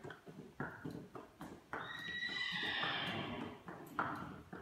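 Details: A grey Irish Draught Sport Horse gelding, born 2015, at an equestrian centre in Leavenworth, Kansas, USA, gives a single drawn-out whinny that starts high and slides downward over about a second, with knocking hoof-like thuds before and after.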